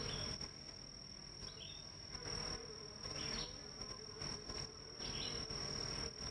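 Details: In northern Kentucky on a July 2023 morning, honey bees work the hives, hauling in lots of pollen. A rough, fluctuating low buzz fills the clip, with a steady high-pitched insect tone and occasional brief bird chirps.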